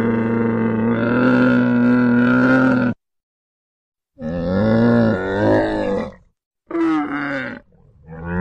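A camel gives three long, guttural groaning bellows, rich and moaning with wavering pitch, each lasting one to three seconds and separated by short silences.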